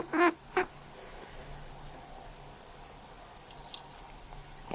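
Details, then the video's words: House cat quacking in reply to coughing: two brief, nasal, harmonic calls in quick succession at the start, then near silence in a quiet room with faint clicks. "When I cough, my cat quacks Когда я кашляю, мой кот квакает"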